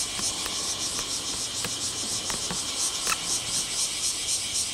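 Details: Cicadas recorded on Mount Takatori on 19 July 2015, the day they began calling all at once; a dense, steady high-pitched shrilling fills the air without pause, with faint ticks and clicks scattered through it.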